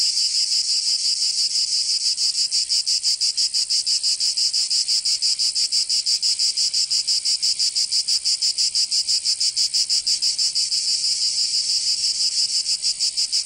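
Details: Provence cicadas in summer, southern France, fill the air with a piercing, even buzz pulsing rapidly and regularly, roughly three beats a second, free of other noise.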